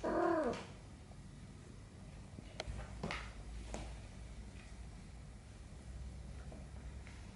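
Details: A 35-day-old Abyssinian kitten from a first litter, during a gentle cuddling session indoors, lets out one short, descending mew at the very start. A quiet room with faint clicks and rustles follows.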